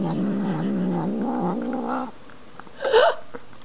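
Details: Siamese cat eating ice cream growls when petted: a steady, low, warbling growl for two seconds, then quiet, then a brief higher squeak-like noise.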